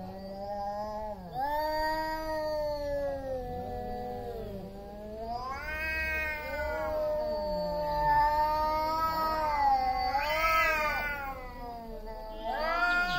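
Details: Pre-fight standoff of two big male cats over territory: continuous loud, quavering yowls, the voices overlapping, pitch swooping up and down, growing more intense and higher toward the end.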